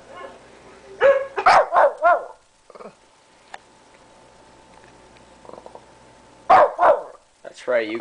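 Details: Tommy the Shih Tzu, a 13-pound pet dog, barking at the computer; a quick burst of four or five shrill yaps, a quiet stretch with a faint hum, then two more barks and a person speaking.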